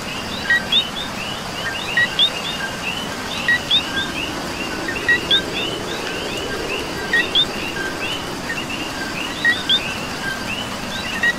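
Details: Rainy-night ambience from Puerto Rico with coquis: one close frog calls its paired low-then-high chirp at a steady pace, about every second and a half, while many fainter frogs chorus behind and rain hisses softly.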